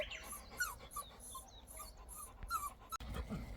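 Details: Labrador Retriever puppy, an abandoned stray found alone and crying after falling into a drainage ditch; thin, high whimpers that slide up and down in short bursts, several in quick succession, over faint background noise and a brief voice.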